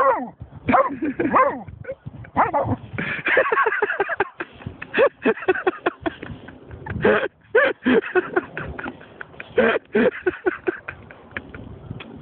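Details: German Shorthaired Pointer named Snoop, reacting after finding a dead seagull: a stream of excited, harmonic yelps, yips and short barks, some rising and falling, coming in tight bursts with brief pauses, possibly with a human voice mixed in.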